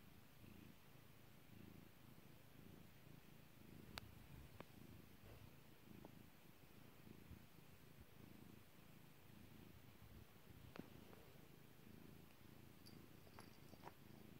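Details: Kairi, a pet cat, purring as she is stroked: continuous low throbbing rumble pulsing in regular breaths, broken by several loud sharp pops and faint rustling.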